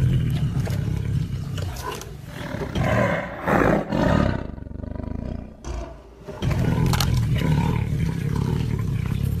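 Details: Tiger roaring: a deep, rumbling, low-pitched roar held for long stretches, easing into softer breathy grunts midway, then building back into a sustained heavy rumble to the end.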